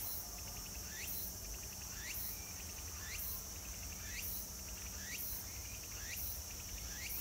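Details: Cicadas at Meiji Jingu shrine, Tokyo, on 17 September 2018 drone in a steady, high hiss, with louder pulses swelling about once a second.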